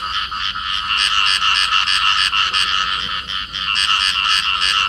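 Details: Field frogs calling as a pair in amplexus. Rapid, rattling croaks repeat about three times a second in an unbroken, buzzy stream that fills the whole recording. No other sounds stand out.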